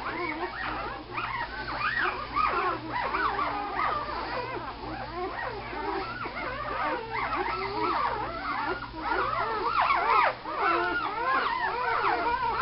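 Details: Several puppies whimper and squeal together, a dense chorus of overlapping high, wavering cries rising and falling without pause, with a steady low hum beneath.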